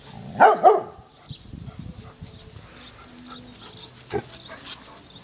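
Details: Domestic dog in a garden, barking at balloons tied along the fence; a close pair of loud, abrupt barks in the first second, followed by low background noise and a brief clatter.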